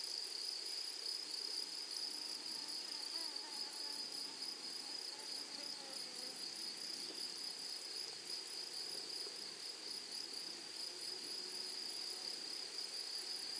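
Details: A grasshopper chorus in a flowery prairie meadow: a dense, steady, high-pitched insect drone with a faint higher overtone. Soft, lower wavering tones drift beneath it now and then.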